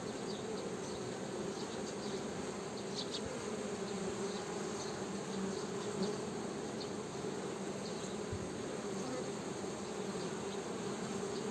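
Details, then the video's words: Steady honey bee drone, a low humming buzz with a strong overtone that keeps an even level throughout, with scattered faint high ticks and chirps in the background. "Honey Bee Buzzing Sound"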